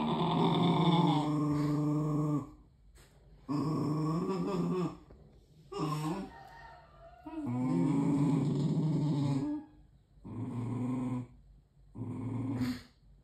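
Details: Puppy growling at its own reflection indoors in a room in Indonesia, November 2023, after two dogs, one white and one black, were playing and were startled by their reflection; low rumbling growls come in five bursts of one to two seconds, separated by short silences.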